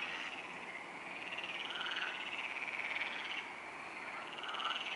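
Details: Many frogs chorusing at night at the Neuer Teich pond on 28 May 2017 at 23:27. Steady, rattling croaks blend into one unbroken wall of sound that rises slightly in strength toward the end.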